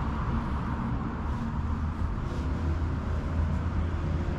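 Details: Steady low rumble of road traffic and engines fills the recording, with no clear animal voice heard.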